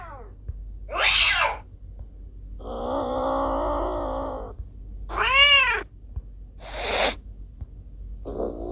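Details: Cat vocalizing, presented as a sound to scare off rats: a mix of short meows, a long low droning growl-like call in the middle, and sharp harsh cries, irregularly spaced over low background hum.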